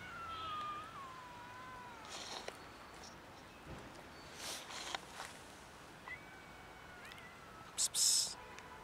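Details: Fluffy kitten living on the street gives a long, falling meow at the start. A shorter, higher meow follows later, with scattered clicks, rustles and a brief sharp noise near the end.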